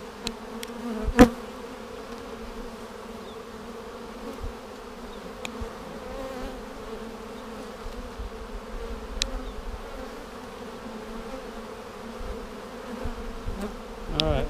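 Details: Honey bees humming inside a hive split seven days earlier with a double screen divider board, March 10, 2019, during a queen cell check: continuous even drone throughout, with scattered clicks and taps from handling.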